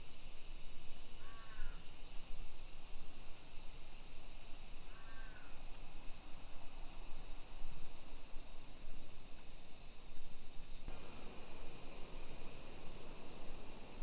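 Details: Summer cicadas droning in a hillside residential neighbourhood of Nisshin city near Nagoya, Japan, at 1 PM on 28 July 2021: a steady, dense, high-pitched buzzing wall of sound throughout, with two brief crow caws early on.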